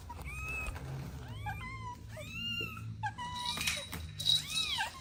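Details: Playing kittens with their mother and two siblings, calling in a string of five or six harmonic meows, some flat and drawn out, others arched and bending down, over light room noise.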